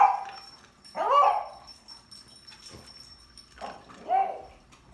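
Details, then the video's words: Pug making odd barking noises: short raspy barks that rise then drop in pitch, two main calls about three seconds apart with softer grunts between, and a faint high whine throughout. "Pug makes weird barking noises"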